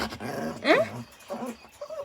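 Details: A Shih Tzu puppy, urged again and again to sing, gives a short, sliding whine that swoops upward into a thin, howl-like note.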